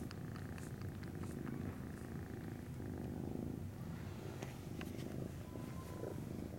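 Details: Norwegian Forest Cat kittens kept by a breeder, 19 January 2017, purring: a continuous deep, grainy rumble with slight swells in loudness, plus occasional light taps and rustles.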